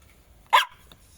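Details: A Jack Russell Terrier, one of a pair of dogs named Treisy and Azzuro, lets out a single sharp, loud bark that ends abruptly, set against a quiet, nearly silent background.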